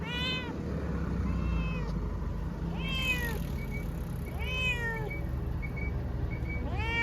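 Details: Munchkin cat travelling to an animal hospital for a blood test, voicing several arched, falling meows every second or two over steady low engine rumble and a high hiss.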